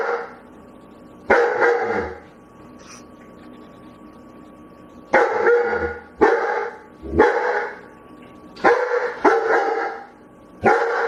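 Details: Dog barking while begging: about seven loud, harmonic barks with sharp onsets, spaced irregularly, some in quick pairs, separated by quiet pauses of up to three seconds.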